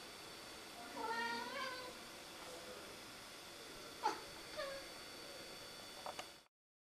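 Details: Siamese cat Rudy fussing at a rook perched in a tree over the road. It gives a drawn-out, bending meow with rich overtones, then shorter chirping meows and a few soft clicks against a constant low hum.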